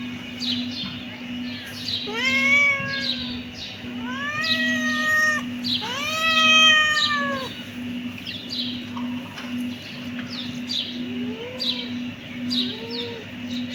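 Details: Kittens meowing: three loud, arched meows about two seconds apart, then quieter, shorter mews trail off over a steady low hum.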